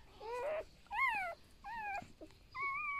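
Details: Newborn golden retriever puppies from a litter of eight born to Niuniu in a rural household. Four high, thin whines, each bending up then down with wavering pitch, coming in short bursts with brief gaps; faint room noise behind.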